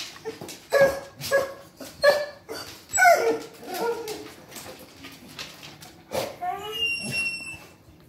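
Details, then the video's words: Three Basset Hounds greeting someone arriving home indoors: a run of short, excited yips and barks about every half second, then a wavering whimper and a rising whine, mixed with human voices. "Basset Hound Trio Welcome Home Greeting"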